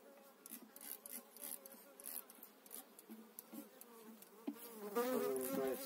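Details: Buzzing honey bees at a hive during a spring 2018 transfer of eight frames. A dense, pulsing drone fills the clip, and near the end one bee passes close with a louder, tonal whine over brief handling noises.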